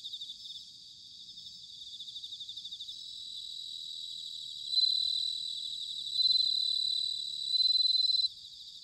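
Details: Autumn bell cricket from Sanuki, Chiba, Japan: a soft, rapidly pulsing high chorus, then three bright ringing trills under a second long, about one and a half seconds apart, standing out clearly.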